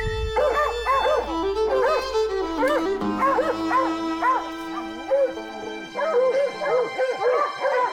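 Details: Hunting hounds baying after likely chasing a cat up a tree during a hunt: loud, ringing bays repeated roughly once a second, rising and falling in overlapping voices, over a steady background of held musical tones.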